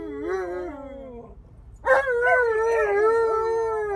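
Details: Tonka, an Alaskan Malamute refusing his seatbelt and arguing back when told to sit, gives a sliding whine that drops, pauses, then a long sustained wavering howl-like complaint.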